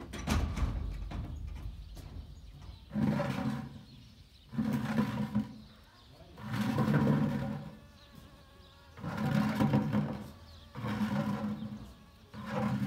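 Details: Honey bee collecting nectar from home-grown saffron flowers in autumn in Kashmir; a low droning hum with steady harmonic bands swells and fades in bursts of one to two seconds as the insect moves close, separated by quieter gaps.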